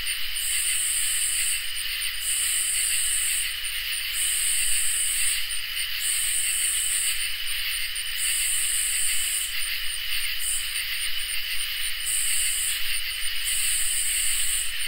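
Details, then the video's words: Crickets and katydids in a summer night chorus: steady shrill trilling at several high pitches, topped by a very high buzzing band that swells in long bursts roughly every two seconds, with brief ticking pulses between bursts. "Crickets and Katydids in Summer | Ambient Night Chorus"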